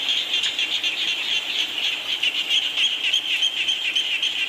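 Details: Frogs calling in the rain, with a dense ringing chorus of short pulsed notes, around four per second, and a few brighter chirps rising above the steady mass of voices.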